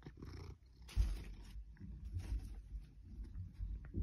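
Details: Eight-year-old female Maine Coon indoors in a bedroom, purring while she rubs against fake plastic plants; a steady low rumbling purr with soft rustling and bumping noises on top.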